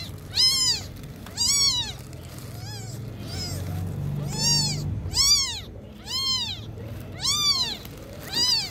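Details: Young kitten learning to walk cries in a string of high, arched meows, roughly one per second, each rising then dipping, with a low murmuring background beneath.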